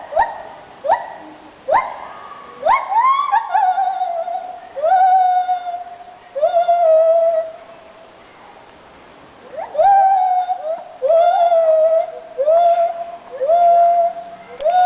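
A monkey sings in clear, hooting tones: quick rising whoops that settle into long, steady notes.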